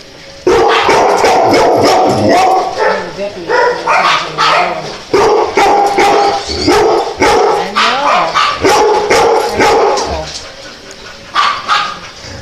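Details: Dogs barking in quick, uneven bursts of sharp, loud barks, roughly two to three per second, with a brief lull near the middle. The clip ends with a quieter stretch and a few last yips; human voices are faintly heard.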